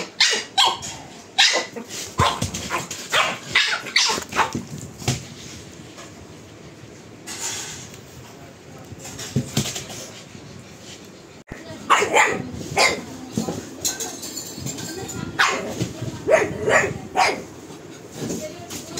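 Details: Pug barking in bursts of sharp, bright yaps, with some whimpering among them and a quieter stretch in the middle before the barking picks up again.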